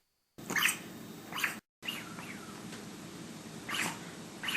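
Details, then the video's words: Devocalized dog barking: hoarse, breathy bursts of rasping noise instead of a clear bark, a few heard at uneven intervals with quiet, hissing gaps between them. "What Devocalized Dogs Sound Like"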